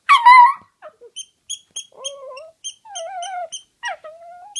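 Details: Toy poodle that likes to howl: a loud yelping start, then a series of thin, wavering high howls rising and falling, broken by short gaps, with regular faint high electronic ticks in the background.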